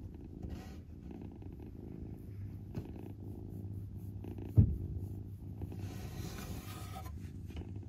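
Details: Father cat with his kitten, a low steady purr humming continuously near the bottom of the range, with a brief sharp knock midway and some faint hiss toward the end.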